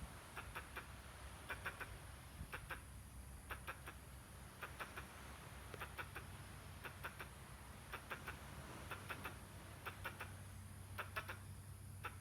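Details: Squirrel making odd noises while gesturing: short, hoarse clucking notes grouped in quick twos and threes, repeated steadily about every second over low background rumble.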